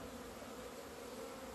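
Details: A February 2020 scene of honey bees emerging into the sun after two months of winter confinement; an unbroken, even droning buzz with a lower and a higher tone band.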